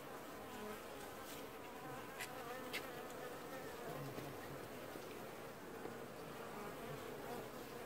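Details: Honey bees washboarding at the entrance of an apiary hive in early July 2019, the only colony doing so; a dense steady humming buzz of many bees with faint clicks and brief ticks above.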